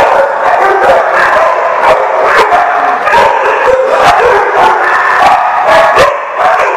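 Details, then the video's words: A crowd of dogs at The Barking Lot, recorded 28 August 2015, keeps up relentless barking and yipping, sharp strikes every half second or so over a steady backdrop of overlapping whines and howls. "The Barking Lot"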